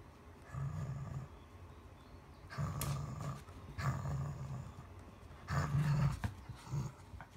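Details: Cavalier King Charles Spaniel named Hana playing tug of war in the morning, July 2016; low rumbling growls in bursts of about a second, four times, with rustling and tugging noises between.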